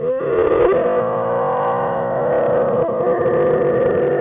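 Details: Black bear cubs Fern and Herbie, denned with mother Jewel on January 5, 2013, give a continuous, level, nasal whining tone that fills the whole stretch without a break.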